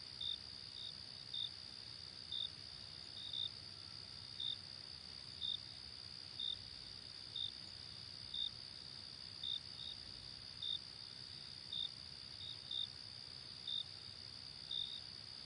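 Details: Daytime cricket chorus: a sustained high ringing trill with short chirps recurring near once per second, sometimes doubled, with soft low rumble beneath.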